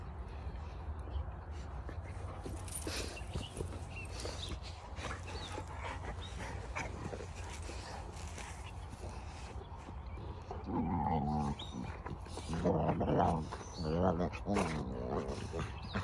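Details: A pack of Cane Corso (Italian Mastiff) puppies outdoors on grass. A steady low rumble of wind and background noise gives way, after about ten seconds, to bursts of high, wavering whines and yelps, with faint chirps above.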